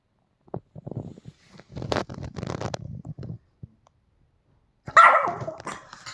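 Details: Pomeranian dog Bonnie "El Chupo", resting on a sofa indoors, reacting to a strange sound: a run of low, rumbling grumbles over several seconds, then a pause and one sharp, louder bark-like yelp.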